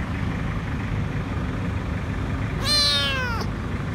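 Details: Frightened, dirty kitten hiding under a food truck outside a grocery store calls for food with a single clear, falling meow near the end, after quiet stretches of low idling rumble.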